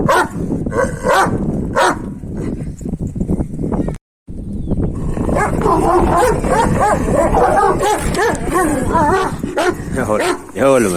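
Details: Male Kangal dogs, Deli İbo among them, eager for a female behind a wire fence, give wavering high whimpers and sharp yips mixed with throaty barks, sustained and excited, with a short gap early on and men's voices underneath.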